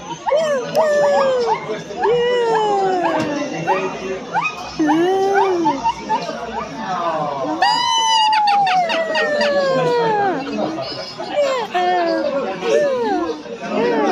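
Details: Silvery gibbon giving arching and falling whistled hoots with quick upward slides, including one long descending note, alongside sharp higher calls and the chatter of a crowd, with children's voices.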